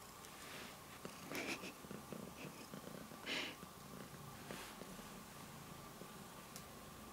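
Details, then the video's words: Purring of a male house cat during a claw trim. A continuous low throbbing rumble runs throughout, with several crisp clipping snaps and short scratchy bursts over it. "Purring Cat Gets His Claws Cut"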